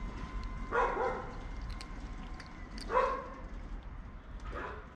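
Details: Deep, guttural meows from a tabby cat: three rough, harmonic calls, the first two spaced about two seconds apart and the third shorter, over a faint low hum.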